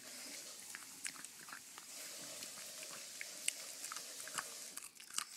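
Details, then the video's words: A Pug named Arenita chewing candy, her favourite treat. Steady wet munching with scattered crisp crunches and bites that stand out sharply near the end. "Pug arenita comiendo dulce"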